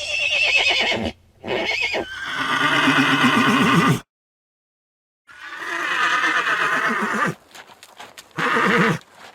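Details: Neighing horse giving long, loud whinnies with a strongly trembling, wavering pitch, two drawn-out calls around three seconds each, a short silence, then further neighs and a brief final whinny among light clicks.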